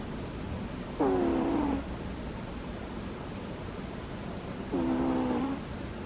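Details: Asleep, Butters lets out two tiny squeaky snores, each a buzzy, tonal whine of about three quarters of a second that dips slightly in pitch, spaced nearly four seconds apart against soft background hiss.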